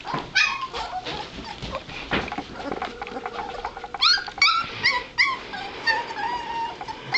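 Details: Two-and-a-half-week-old White Shepherd puppies moving about; overlapping high-pitched whines and yelps, several loud wavering squeals in a burst midway, amid rustling and bumping sounds.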